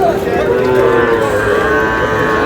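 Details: Young Sahiwal bull calf at a cattle market in Cumilla, Bangladesh: a sustained, slightly wavering moo continues through the whole stretch over a steady background of market voices.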